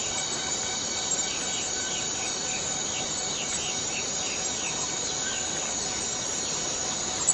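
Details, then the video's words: Forest cicadas in a dense, continuous high-pitched droning chorus that holds steady throughout, with faint short chirping notes flickering just beneath the buzz. "Forest Cicadas Free Sound effect"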